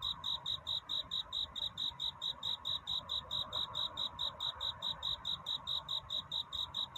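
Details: A cricket chirps through a courtship night toward dawn, singing to find a mate: sharp, high pulses repeated regularly, a little over two per second, against low, quiet ambient noise.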